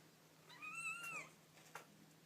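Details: Single drawn-out kitten mew, thin and high, pitch curving gently up then down over about half a second, followed by a small tap against quiet background hum.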